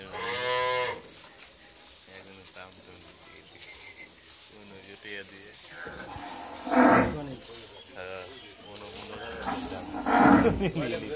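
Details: Friesian cow that has calved a heifer for the second time; one clear moo opens, followed by lower grunting sounds and human voices, with two louder bursts later.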